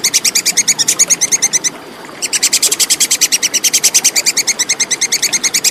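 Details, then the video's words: Clear call of a plantain squirrel, known locally as tupai kekes, used to train songbirds for contests. Fast, high, clicking notes run in a steady series, stop briefly for half a second, then resume. "SUARA TUPAI KEKES JERNIH"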